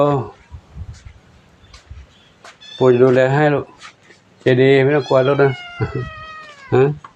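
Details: Domestic cat resting in the afternoon at Wat Pong Chai, Chae Hom, Lampang; drawn-out falling meows near the end, mixed with loud nearby human talking.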